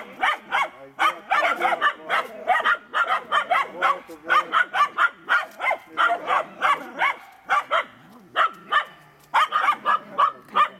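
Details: Finnish Spitz (Canis lupus familiaris), hunting bark: barking at a raccoon it has found during a hunt.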